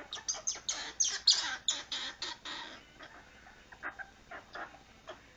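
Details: Temper tantrum from a female pet squirrel: loud rapid raspy chucks in a run, then fainter spaced scratchy notes trailing off.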